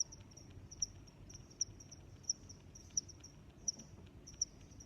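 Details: High, thin cricket chirps repeating roughly once per second, each a sharp bright pulse, with softer trilling between them and a low hum beneath.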